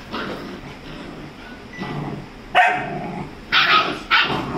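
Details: Rajapalayam puppy, 35 days old, fighting with a Labrador dog; quiet scuffling at first, then three loud, sharp yapping barks in quick succession near the end.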